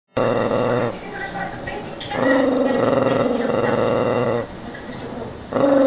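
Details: Dog eating a tangerine, giving throaty, moaning growls in sustained bursts of one to two seconds, tonal and slightly wavering, separated by short quieter pauses with chewing noise.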